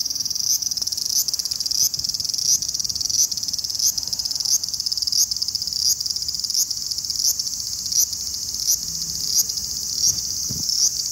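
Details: A large brown cicada (Graptopsaltria nigrofuscata), recorded August 18, 2020, sings a steady, high sizzling drone like oil frying in a pan.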